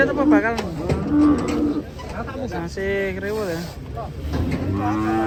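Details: Several cattle moos in quick succession, some wavering and bending in pitch, others held steady, with background noise throughout.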